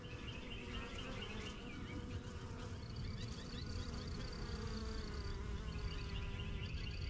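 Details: Busy backyard hive of honey bees, a yellow box, strongest of the first hives started in spring 2023, bees coming and going; continuous low droning buzz from many insects, with faint higher chirping birdsong in the background.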